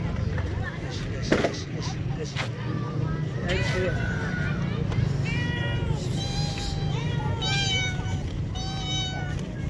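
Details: Hungry stray street cats searching for food: a run of repeated meows in the second half, several overlapping rising-then-falling wails, over steady low traffic rumble and a brief knock early on.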